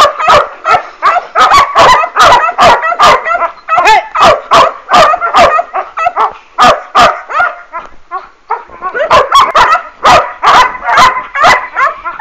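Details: German Shepherd pups from a working line, sire Boris Solidblack and dam Tisia de la Senda, barking in rapid, bright yaps, roughly two or three per second, with a short lull before the chorus resumes.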